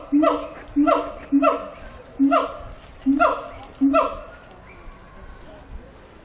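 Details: At Zoo Antwerpen a siamang sings six loud, bright, hooting barks, one roughly every two-thirds of a second, each with a sharp onset and falling tail, followed by quieter fading sounds.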